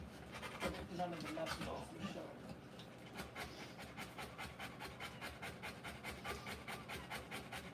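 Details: During a Rottweiler's puppy birth, human speech fills the first few seconds, then the mother's quick, regular panting takes over, short breathy rasps at about two and a half per second.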